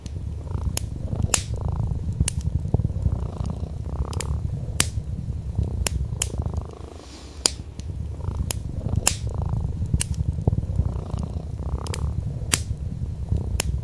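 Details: Deep continuous purring from a sleeping orange tabby cat on a wool rug near glowing fireplace flames, with wood crackle snapping every second or so and a brief dip in the rumble midway.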